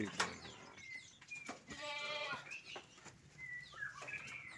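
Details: Goat in the pen of a collector of unusual goats gives one wavering, harmonic bleat lasting about half a second, mid-clip. Frequent sharp bird chirps and tweets sound around it.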